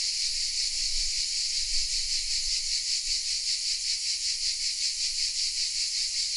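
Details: Cicadas sing from oak trees in the village of Vézénobres, south of France: a loud, hissing high-pitched drone, evenly pulsing, many insects blending into one constant wall of sound, slight low rumble beneath.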